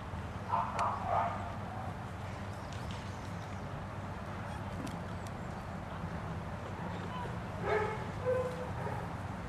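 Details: One-year-old Shih Tzu playing creatively with equipment on an agility field at Julington Creek Animal Walk; short bursts of high, yappy barks near the start and again near the end over a steady low rumble of background noise.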